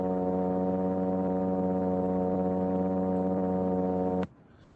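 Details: A single plainfin midshipman fish gives a steady, droning low hum like a distant foghorn to attract mates; thousands humming together in a bay can be heard above water.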